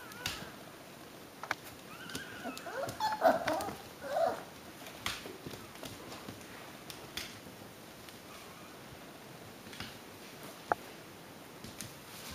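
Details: Six-week-old Alaskan Klee Kai puppies indoors, giving a few soft, tonal whimpers in a short cluster partway through. The whimpers are set against a steady hiss and scattered clicks and knocks.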